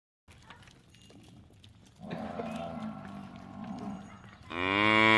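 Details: Buffalo calling: a low, hoarse, drawn-out bellow lasting over two seconds, then the start of a louder, clearer harmonic call at the end.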